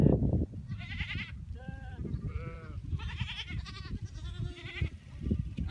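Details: Free-pastured cashmere goats of a family herd kept with sheep in the wilderness of North Eastern Mongolia, herded by motorbike; several animals give a run of wavering, quavering bleats, one after another over low engine rumble.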